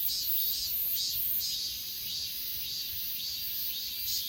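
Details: Achasan grass insects recorded with an S20 Ultra, giving loud, uneven bursts of high shrill trilling alternating with softer pulsed chirps, all over a continuous insect hum.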